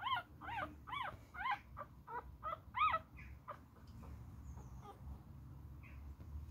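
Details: Fighting Beagle puppy gives a quick cluster of high, strained yips in the first three seconds, then falls mostly quiet apart from faint scuffling and one soft whimper.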